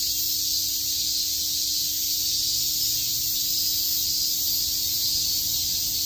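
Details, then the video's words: Summer cicada chorus in a Tokyo park, Shakujii Park: a continuous shrill, sizzling buzz held at one level, with a faint low hum beneath. "Cicada chirps"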